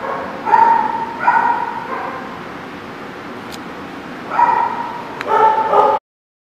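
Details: Two clusters of sharp, high-pitched dog barks, each group of three or four yelps, separated by a few seconds of quiet before ending abruptly.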